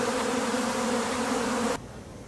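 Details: Japanese honey bee swarm, the second to leave a home colony after wintering, while being gathered into a hive. Even, droning hum of many bees that stops abruptly near the end.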